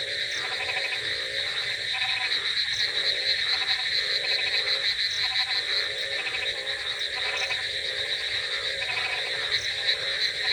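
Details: A rainy night chorus of frogs: thick, overlapping rattling croaks pulse roughly three times a second beneath a steady high-pitched trill, with occasional sharper chirps standing out.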